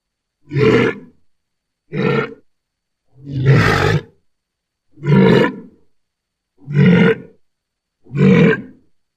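A walrus gives deep, rough grunting bellows, repeated roughly every one and a half seconds.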